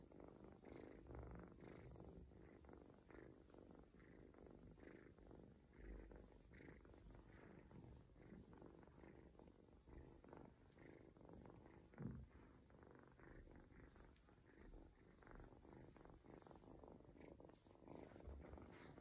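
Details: Adopted ginger kitten, separated early from its mother, purring while getting a stomach massage indoors and nearly falling asleep; a steady low rumbling purr with soft rhythmic pulses throughout.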